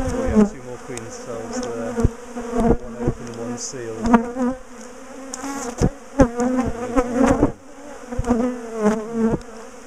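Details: Agitated bees from a big top bar hive colony during splitting and relocation produce a loud, wavering buzz with rising and falling tones, interrupted by knocking and scraping of hive bars.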